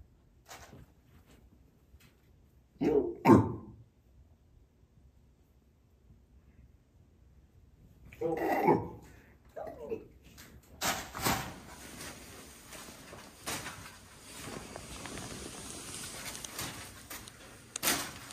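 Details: Aria, a female Eurasian lynx at a sanctuary for rescued big cats, gives two harsh, bark-like calls several seconds apart, showing off her vocalizations, followed by rustling noise.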